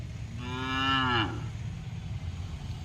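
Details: Punganur cow, nine months pregnant, white, described as friendly: one drawn-out moo lasting under a second, tonal and slightly falling at the end, over a low steady background rumble.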